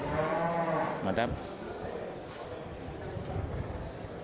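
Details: Local Indonesian cattle at the Geurugok animal market on 29 March 2022, in the last week before Ramadan. A harmonic moo in the first second, then crowd murmur and men talking over the low market bustle.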